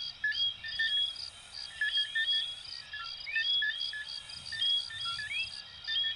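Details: Coquí frogs calling together, from Venezuela and Puerto Rico. Clear rising whistled sweeps stand out among shorter tonal notes, with an insect-like pulsed trill running steadily above.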